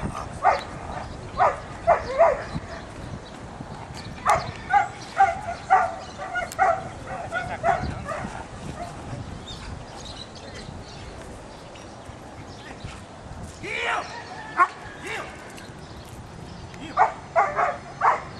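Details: A very dark male Belgian Malinois, sire of a litter, gives sharp, forceful barks in short rapid runs of two or three with brief pauses. A quieter stretch of low murmuring and background noise separates the later bursts.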